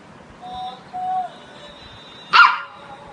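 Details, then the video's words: A two-month-old male golden retriever puppy gives two thin, whining tones, then a single sharp, loud bark at his friend. "Golden retriever barking on his friend"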